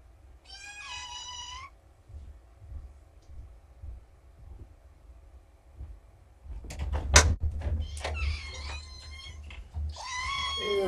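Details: Morning meowing from four young shelter kittens, found abandoned by a road, waiting for breakfast: a short meow, a quiet gap, then thuds and a knock followed by overlapping loud meows.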